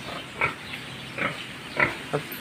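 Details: Pig at a farm judging whether a short, low sow can produce good piglets; four short, rasping grunts spaced irregularly over two seconds, the first and third loudest, against mild background hiss.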